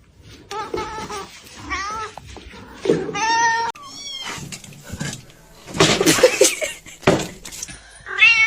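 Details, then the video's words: Domestic cats fighting indoors, trading drawn-out wavering yowls and wailing meows between harsh noisy bursts, the cries rising and bending in pitch, with some faint human voice in the background. "funny cats fighting"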